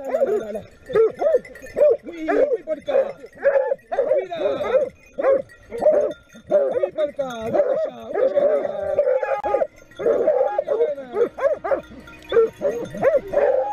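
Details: A pack of Griffon Nivernais hounds bays in rapid, overlapping bursts while chasing a wild boar that breaks into the open during a hunt in Haute-Garonne.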